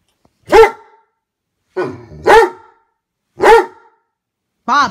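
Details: Jealous Great Dane letting out a series of loud, harsh barks, about four in all with uneven spacing, aimed at his brother dog, before a person's voice begins scolding.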